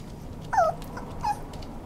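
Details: Toy Poodle giving two short whimpers, a falling whine near half a second followed by a briefer one after a pause, over a steady low background hum.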